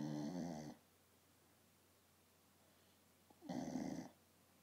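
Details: Poppy the dog, asleep on a couch and snoring: two loud, rasping, rumbly snores separated by nearly three seconds of quiet, recorded indoors in a small room.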